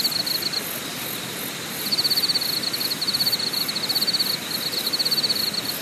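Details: Night-like insect chorus at the Deokyudae campsite in Korea's Deogyusan National Park: a high, finely pulsed trill that drops out briefly, then resumes in bursts, with a faint airy hiss behind it.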